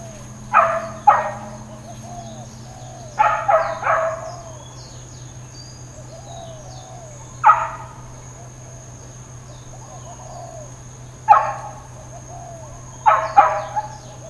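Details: Dogs barking intermittently in Hawaiian Paradise Park, Hawaii, on Labor Day, September 2, 2024, amid uncontrolled neighbourhood barking: short, sharp barks in scattered clusters of one to three, with a steady high electrical whine and a low hum throughout.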